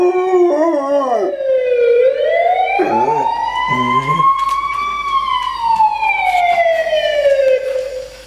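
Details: German Shorthaired Pointer KC howling for the only time in his life: wavering, broken yelps at first, then a long, smooth howl rising and falling slowly over several seconds, mixed with a continuous mechanical wailing tone.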